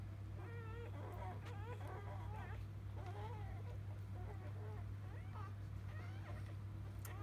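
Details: Just-born field-type Labrador Retriever pups from biscuit, 2017 JFA Grand Champion; clustered squeaky whines with wavering pitch, busier early then sparser, and a persistent low hum throughout.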